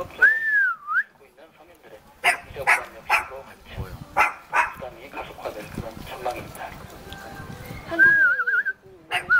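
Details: Cute puppy in Jeonju, North Jeolla Province, Korea, asking to play: a high wavering whine opens, then a run of sharp yelping barks, with another wobbly whine near the end and human voices underneath.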